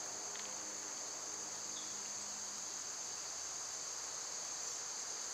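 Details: {'caption': 'Summer insect chorus dominated by cicadas: one constant high buzzing tone, with a faint low hum fading out after the first few seconds and a single short bird chip.'}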